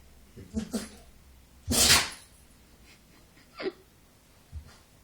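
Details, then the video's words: A dog that can't stop sneezing, indoors: one loud, broad, explosive sneeze near the middle, preceded by two smaller snorting bursts and followed by two brief sniffs. "Dog cant stop sneezing"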